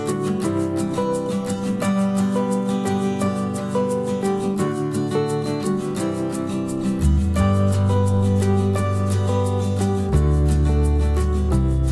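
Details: Strummed acoustic guitar music with a steady beat and a bass line throughout; no animal voices.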